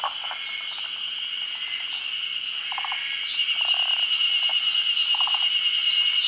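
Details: Forest green tree frogs, a species endemic to Japan, gathered at midday to spawn; low, short rattling pulse bursts come from several frogs against a steady high insect drone.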